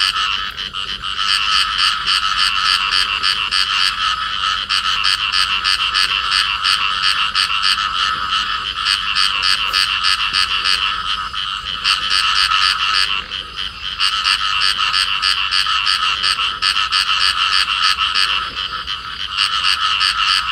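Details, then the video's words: A pair of field frogs in amplexus calling together: rapid, regular rasping croaks pulsing roughly three per second, with a brief dip in loudness near the middle before the buzzy chorus resumes at full strength. "cặp nhái đồng ôm nhau kêu"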